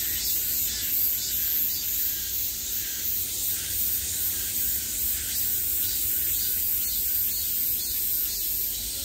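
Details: Cicadas buzzing at the height of summer, heard from all around: a dense, continuous high-pitched hiss with faint pulsing swells, steady throughout, over a low background rumble.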